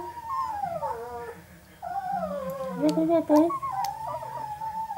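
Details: Eleven-day-old Northern Inuit puppies whine in long drawn tones that slide down and level off, sometimes overlapping, over a low indoor hum; a few clicks in the middle.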